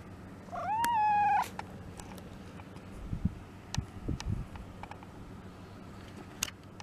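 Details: Pet domestic cat, one of six mixed-breed house cats, gives a single clear drawn-out meow lasting under a second, steady then lifting slightly at the end, followed by quiet room sound with soft taps and clicks.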